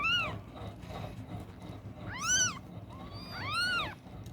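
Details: Newborn kittens, eyes still closed, crying while one hunts for its mother's milk late on a Saturday night; three thin arched mews, the later two louder and longer, over a low rumbling background.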